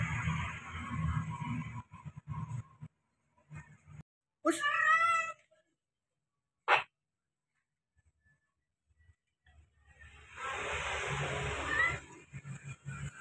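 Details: A cat calling a companion gives a single drawn-out, wavering meow near the middle, followed by a sharp click, with rumbling background noise before and after and a short silent gap.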